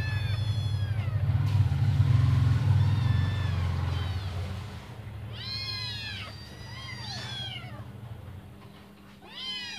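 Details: Five hungry kittens awaiting their mother's return for a feed: a loud low rumble dominates the opening, then clusters of high, arching meows break through, overlapping in quick succession.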